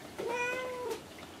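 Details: Kinako, a pet cat replying to her owner's voice indoors: a single drawn-out meow, level in pitch and then dipping at the end, clear and harmonic against a quiet room.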